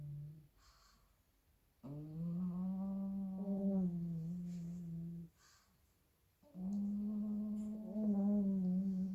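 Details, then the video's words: Sleeping pug puppies, a pair, snore very loudly: long whining hum-like breaths of about three seconds, a silent gap, then another steady droning snore. "two little pug puppies sleeping and snoring very loudly!"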